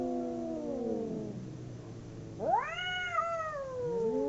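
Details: Domestic cats fighting, two animals howling: a low drawn-out yowl sinking into a growly murmur, then a sudden loud upward-sweeping wail held and wavering as it gradually falls.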